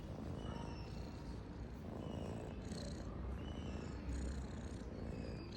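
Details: Pet cat giving a continuous, low, rumbling purr, even and unbroken across the recording, set against faint steady background hiss with a brief swell near the end.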